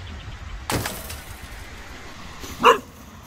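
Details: Cocker Spaniel named Casper in a park, upset by a very small snowman while his tail wags; one short, sharp bark near the end, after an earlier broadband knock, over steady outdoor background noise.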